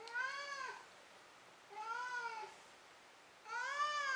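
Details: Domestic cat meowing after running around and catching a toy, indoors before falling asleep: three clear, rich harmonic meows about 1.7 seconds apart, each rising then falling, in a quiet small room.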